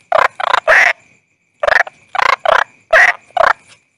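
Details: Toad calling, also called bangkong: quick bursts of two or three raspy croaks, the last in each burst slightly longer, separated by short silences, with a faint thin high tone behind.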